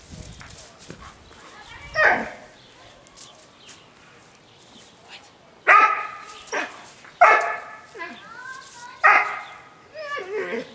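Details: Dog during home protection work training on March 24, 2012, named River, working with a club helper: sharp harmonic barks in bursts around 2, 6 to 7 and 9 seconds, with quiet speech and pauses between.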